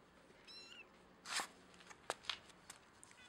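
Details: Kitten distress calls: a brief, faint, high harmonic mew rising then dropping, followed by a sudden louder broadband burst and several soft clicks and rustles against quiet background hiss.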